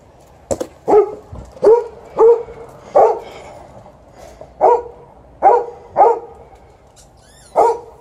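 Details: Twelve-year-old male Golden Retriever, TJ, barking after a morning walk because he wants to play fetch during ball time, an Alaskan Malamute also present; eight short, mid-pitched barks in steady bursts roughly every second, quiet background.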